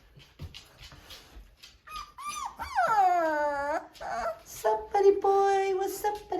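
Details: American Bulldog puppies from a litter of Logic and Coco, four weeks old on January 14, 2023, indoors; a high whine swoops down in pitch and trails off over about a second, then shorter yelps follow, with quiet talk early on.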